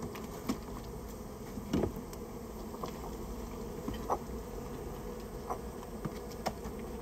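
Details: Buzzing of a Japanese honey bee colony nesting in a storehouse during its removal. The continuous low droning hum is broken by scattered sharp knocks and taps from the work.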